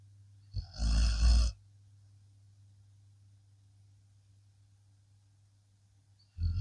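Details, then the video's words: A blue Akita Inu dog asleep after a long day gives one rough, rumbling snore lasting about a second, followed by quiet with a faint steady low hum, then the start of another snore at the very end. "snoring akita"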